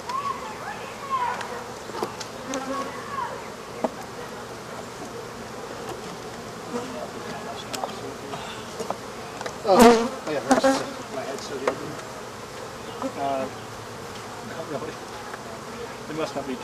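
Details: A swarm of African honey bees hums continuously as workers tear out the remains of their hive behind a wall, the colony being killed; a wavering multi-toned drone is broken by clicks, knocks and scraping.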